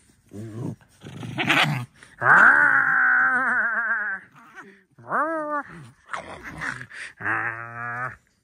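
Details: Alice, a pet fox kept at home, voices a series of loud, drawn-out whining cries with a wavering tone, then shorter rising and falling wails with brief gaps between them, indoors.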